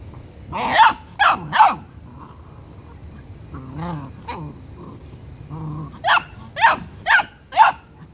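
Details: A dominant 7-week-old male Rottweiler puppy won't let his siblings eat and guards the food with sharp, high yaps and a brief low growl while his sister is mad.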